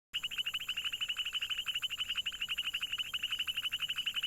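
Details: Frog calling in a rapid, high-pitched pulsed trill, about ten clicks a second held steadily for four seconds, over a faint constant background hum.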